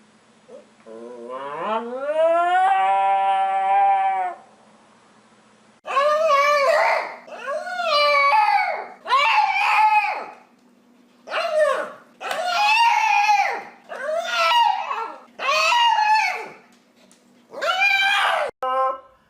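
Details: Dog making funny noises: a rising tonal howl, then after a pause about nine rough, wavering yowls, each around a second long, in quick succession.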